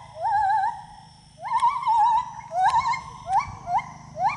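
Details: Gibbon singing while moving through the trees: a wavering whistled note, then a run of rising whooping notes with trilled peaks that come quicker and shorter toward the end, over a low steady hum.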